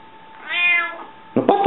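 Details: Indoor domestic cat Rika, hungry, answers with a single bright meow, arching up then sliding down over half a second, followed by a person's voice starting to speak close by.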